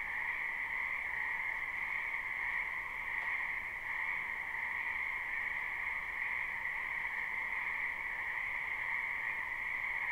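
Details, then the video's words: Many frogs croaking in a spring wetland behind a house, recorded live without looping: a dense, unbroken chorus forming two steady bright bands, a lower and a higher, with no pauses or single distinct callers over the whole stretch. "Ambient Noise for Sleep Frogs"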